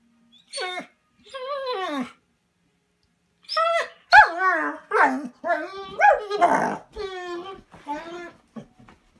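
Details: Bernese Mountain Dog Manda, kept indoors at a cabin and eager to join a walk, 'talks' in a run of expressive whining yowls, some sliding downward, others wavering, coming in quick irregular bursts after a brief pause.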